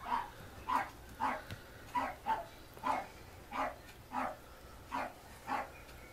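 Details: A female Pomeranian puppy, 52 days old (born 12 February 2015), parti-coloured coat, in Mie, Japan, gives a string of short, high-pitched yips at an uneven pace.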